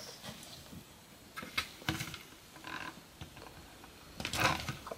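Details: An African bullfrog, teased by its keeper, gives short, harsh, grunting bursts at irregular intervals.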